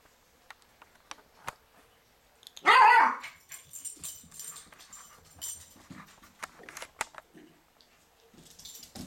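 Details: Cairn Terrier puppy playing with an orange toy indoors gives one loud, sharp bark near the middle, set among light clicks, taps and rustling from the play.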